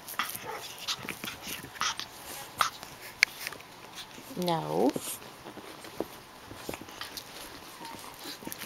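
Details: Playing Japanese Chin puppies, including Hestia, Asti and Fizzie; one short, wavering whine-growl with rich overtones rises and falls midway through, amid light scuffling, clicks and a person's voice.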